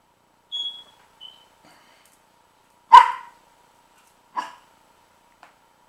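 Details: A dog named Princess barks at a baby pitbull puppy called Rocky, recorded indoors on 12-08-09: a few short, sharp barks spaced over several seconds with faint high squeaks before them and quiet in between.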